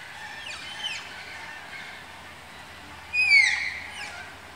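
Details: Captive Malayan tapirs at Tama Zoological Park, calling from their enclosure during pairing: a loud, high whistled squeal that slides downward, preceded by fainter descending squeaks, over a low steady background hum.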